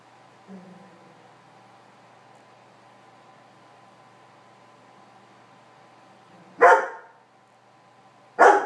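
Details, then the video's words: Weimaraner named Meego, a pet dog, trying to persuade a cat to get off his bed; two sharp, loud barks near the end, spaced under two seconds apart, after a soft low whine and long quiet stretch. "Weimaraner not wanting kitty cat on his bed"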